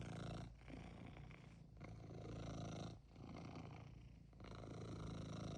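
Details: House cat with a clear wish, rumbling purr in long low pulses, each breath cycle lasting about one to one and a half seconds, close and steady.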